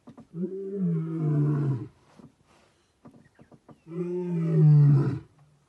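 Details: A giant male lion passing a vehicle gives two long, deep roars about three seconds apart, each rumbling and steady before fading, separated by short grunting breaths.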